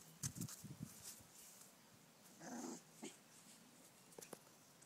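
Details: Bouvier des Flandres puppies, five weeks old, from Piranha and Ozzy, romping with their mother outdoors in the garden; quick low growls and snuffling bursts at the start, a longer rasping growl midway, then scattered soft grunts.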